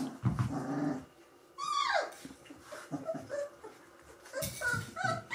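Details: Gordon Setter puppies aged three weeks; low grumbling noises, then a loud falling whine, followed by short squeaks and a second burst of high whimpering from the litter.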